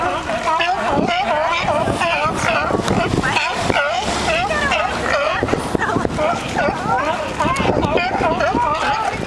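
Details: Crowded chorus of sea lions singing and fighting: many overlapping honking, warbling calls with rippling, wavy pitch, packed tightly without pause across the whole stretch.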